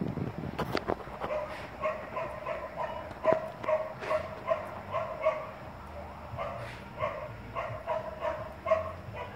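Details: Gordon setter during obedience training, giving a run of high, tonal whining yelps, short and repeated roughly every half second, with faint scuffing and a trainer's voice in the background.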